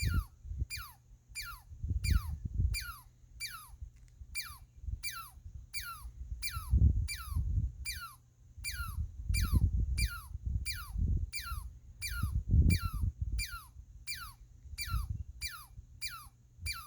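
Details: A squirrel calls steadily with about twenty-five high, downward-sweeping squeaks, roughly three every two seconds, sounding like laser blasts, while low rumbling noise rises and falls beneath.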